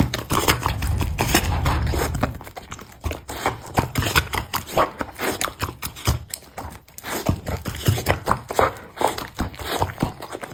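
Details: Golden Retriever eating a bun: steady bursts of wet, crunchy chewing and lip-smacking, several bites each second, with a low rumbling thump through the first two seconds.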